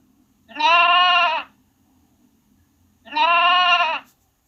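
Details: Lamb bleat: two evenly spaced, high, vibrating baas, each about a second long, separated by a quiet pause of roughly two seconds, with a faint low hum beneath.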